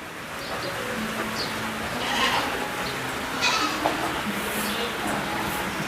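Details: Black goats at a hands-on farm in Jeju holding some 3000 of them, on a rainy day. Two wavering, nasal bleats rise out of a steady hiss of rain and crowd murmur, the second shakier than the first.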